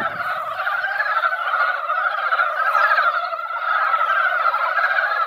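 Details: Seasonal gathering of mountain frogs at a mountain-village pond following a light shower: dense, continuous overlapping croaking from many frogs, with a brief low thump at the start.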